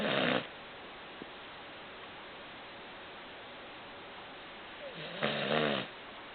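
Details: Pet dog sound asleep indoors, snoring: a loud, rough, rumbling breath at the start and another longer snore about five seconds later, with near silence between.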